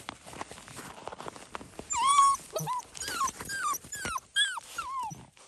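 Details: Fox red Labrador Retriever puppies, seven weeks old, being introduced to the outdoors for the first time, let out loud, clear, high whines and yelps that mostly slide downward, in quick bursts of several calls over soft background rustling.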